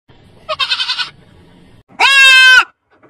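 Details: Young goat kid bleating twice: a short wavering bleat with a quavering, pulsed tone, then after a pause a louder, steady, high-pitched bleat lasting over half a second, rich in harmonics.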